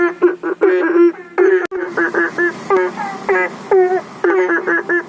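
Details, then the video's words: Several banded bullfrogs, said to be summoning rain, call from a home fish pond and aviary pond beside a public road; brief, buzzy, harmonic croaks overlap in an uneven chorus, with one sharp click near the start. "Seperti ini Cara Katak Memanggil Hujan | Sound of Frog"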